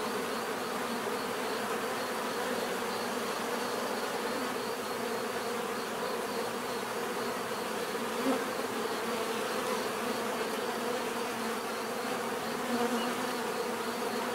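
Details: Steady natural buzzing of many bees, an unbroken swarm-like hum with faint individual tones sliding above and below, level and unchanging for the whole stretch.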